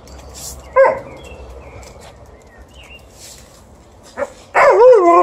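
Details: Alaskan Malamute objecting to a broom: a sharp bark near the start, another short yelp later, then a loud wavering, warbling howl-like grumble at the end, with brushing sounds in the background.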